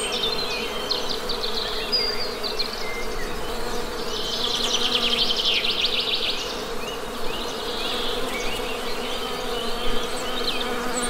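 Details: Honey bees hum in a continuous low drone, joined by bursts of fast, high bird chirping around the middle and fainter bird notes near the end.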